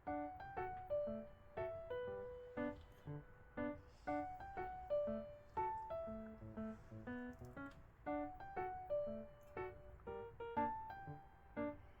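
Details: Gentle piano and keyboard music plays in short repeated phrases, with no animal voice heard.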